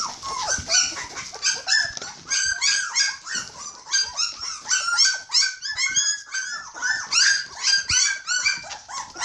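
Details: Several 21-day-old Border Collie puppies calling out from hunger, a dense stream of shrill, bending squeaks and whines, each lasting under a second, overlapping without a break.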